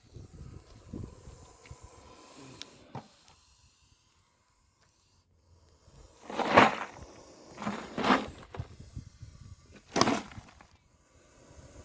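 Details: Spectacled cobra, Naja naja, a venomous snake, hissing: three loud broadband bursts of breathy noise near the middle and end, each about half a second long and spaced roughly two seconds apart, with a quiet background and faint handling sounds earlier.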